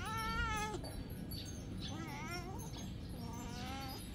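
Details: Domestic cats, a big cat biting a small cat, meowing: three drawn-out harmonic meows, the first long and level, later ones wavering and falling, over a steady low background hum.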